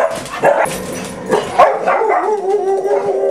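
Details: Pet dogs at home on an ordinary morning, six in the household: a couple of short barks, then a drawn-out steady whine trailing on for over a second, with faint background clatter.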